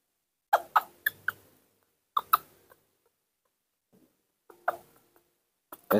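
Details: Hungry newborn monkey Nomi, refusing milk, cries for its mother: a quick run of four sharp, pitched squeaks, a pair a second later, then a softer cluster and a louder burst at the end.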